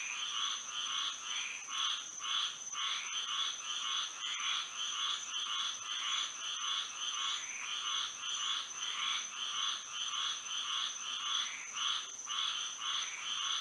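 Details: Frogs singing at night under moonlight in Florida, a dense chorus of rhythmic croaking pulses repeated nearly twice a second, with a steady high insect-like whine running continuously above.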